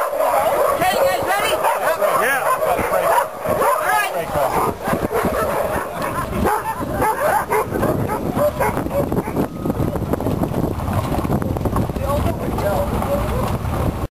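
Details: Sled dogs at a summer dog-sled camp, bouncing up and down and eager to run: many dogs bark, yip and whine together in dense, overlapping bursts. The barking is loudest early on and gives way to a busier, noisier background.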